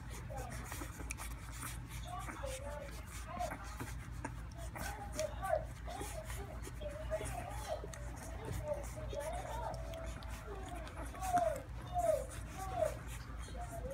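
Golden Retriever puppies give soft, wavering whimpers and squeaks over low room rumble and handling noises.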